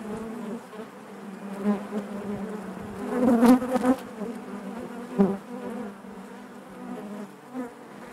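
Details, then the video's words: Honey bee hive interior: a continuous low, throbbing drone of the colony, swelling into a loud close buzz midway, then a shorter burst, before settling back to the steady hum. "bees therapy hive natural buzzing sound"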